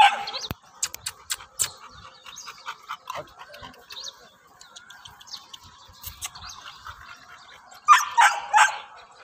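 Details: English pointer puppies playing in the morning; a run of short clicking sounds and soft yips opens, then quieter rustling, and a cluster of three or four sharp barks comes near the end.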